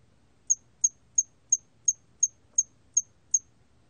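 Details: From the National Institute of Biological Resources, 2020: a hairy cricket (털귀뚜라미) giving nine short, thin, high chirps, spaced evenly about a third of a second apart, over a dim low hum.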